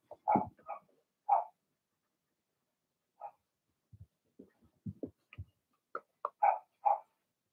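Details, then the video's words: Young Blenheim Cavalier King Charles Spaniel puppies in their puppy pen, part of a six-pup litter of two females and four males, bark in short sharp bursts, with low grunts and squeaks between, then several clear yaps at the end. "Cavalier Puppies Bark, Howl"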